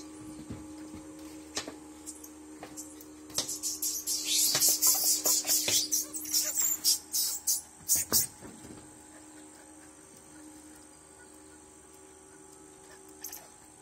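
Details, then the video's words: Squirrel monkeys producing a rapid run of piercing high chirps, repeated several times a second for about four seconds, over a steady low electrical hum. "Squirrel Monkeys / Totenkopfäffchen"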